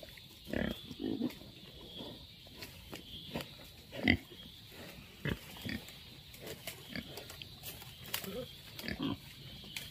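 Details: Wild boar in jungle giving short low grunts scattered through the recording, several louder snorts standing out, over a steady background hiss.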